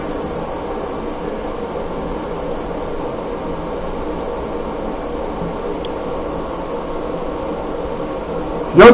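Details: Steady low hum of a small indoor room with a faint mechanical drone, ending in a sudden short knock.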